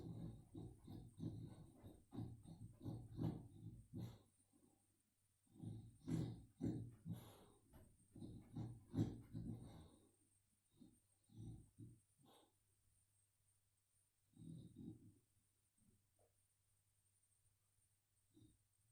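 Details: Female boxer dog in deep sleep, dreaming, filmed with a mobile phone: dense low snoring snorts for ten seconds, then quieter scattered breaths and a few softer snores.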